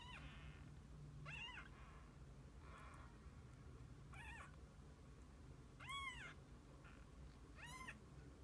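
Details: Kittens together with their mother cat for the day, giving a string of high, arched mews roughly every one to two seconds, the one near the end loudest, over a quiet indoor hum.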